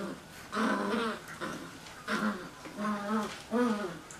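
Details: Cocker Spaniel puppies playing tug-of-war give a run of short, harmonic growling whines, about five rising-and-falling bursts in four seconds, with a human voice possibly mixed in.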